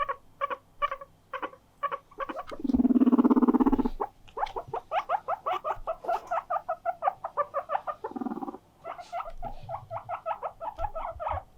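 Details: Pet guinea pig at home loudly calling to invite play and demand attention, drawing two companion guinea pigs in; rapid series of short squeaky pulses, nearly three per second, broken by a lower buzzy purring rumble and a brief pause, then more squeaks.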